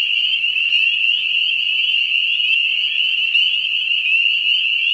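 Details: Many spring peepers in Ontario, a species calling from March into later May: shrill, unbroken high-pitched ringing of countless overlapping peeps, with brief rising notes standing out from the wall of sound.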